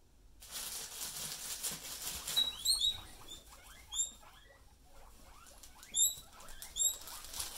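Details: Pet guinea pigs being teased by their owner: several short, high, squeaky whistled wheeks rising sharply, at about 2.5, 3, 4, 6 and 7 seconds, over continuous soft rustling and pattering of bedding.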